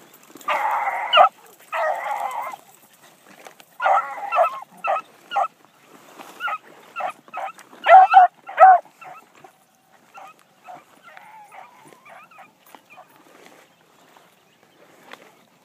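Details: Female Blackcreek hound out running for the first time one morning, opening with long ringing bawls, then a string of shorter choppy barks in uneven bursts that fade into faint, distant yelps and whines toward the end.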